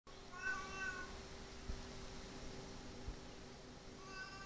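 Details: Two neutered domestic cat brothers squabbling indoors; drawn-out, wavering harmonic yowls near the start and again at the end, separated by a steady electrical hum and low room noise.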